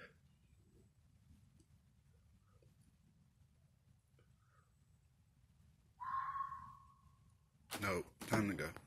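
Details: Night in Missouri woods: after a long hush, a red fox gives a single harsh, hoarse scream lasting about a second. A man's startled voice follows immediately.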